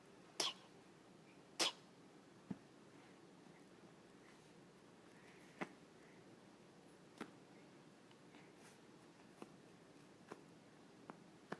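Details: An 8-week-old Boston Terrier puppy, playing tug indoors, sneezes twice in quick, sharp bursts, followed by soft clicks and taps.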